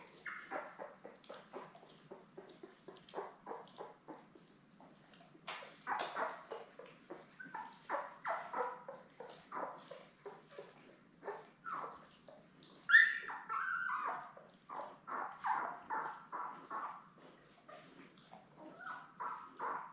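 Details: Newborn Labrador Retriever puppies, a litter of seven born May 24, 2021, lying with their mother Belle on a live puppy cam on 3 June. Short high squeaks and whimpers come in quick uneven bursts throughout, rising into louder squeals near the middle.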